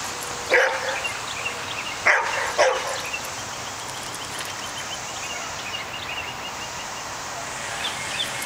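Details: Pet dog facing off with a groundhog outdoors, barking three times in short bursts spaced over about two seconds, followed by quiet background hiss and faint birdsong.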